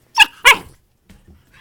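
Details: Puppy at play, giving two quick sharp barks close together near the start, then near silence with faint low rustling afterward.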